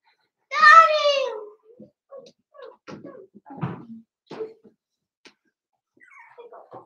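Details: In an indoor puppy pen, a four-week-old Cavalier King Charles Spaniel from Daisy's litter lets out one loud, clear, wavering whine lasting about a second. Faint scattered squeaks and soft rustles follow.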